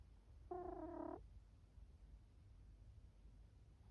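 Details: Chifuyu the cat snoring in sleep, a single short, tonal, nasal squeak with clear harmonics lasting under a second, then quiet low room hum.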